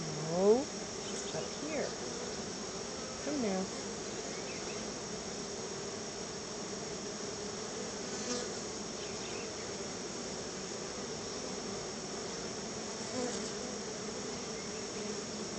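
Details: Honey bees crowding around their hive as they are fed a treat of store-bought honey; a steady low buzzing hum with a brief spoken voice at the start and a faint high whine above.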